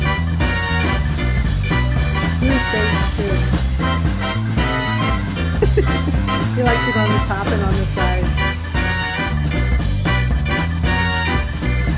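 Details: Loud upbeat ska-swing music with horns, drums and bass plays throughout, and no animal sounds come through.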